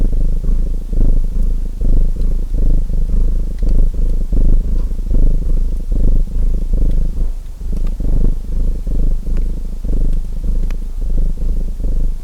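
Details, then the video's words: Domestic cat purring loudly over a softly crackling fire: a thick low rumble pulsing with each inhale and exhale, steady rhythm, a slight lull near the middle, and scattered tiny clicks from burning logs. "Purring Cat Sounds"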